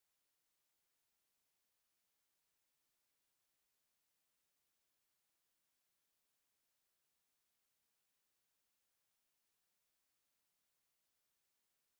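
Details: Near silence broken only by scattered faint clicks and one brief soft rustle, with no animal voice.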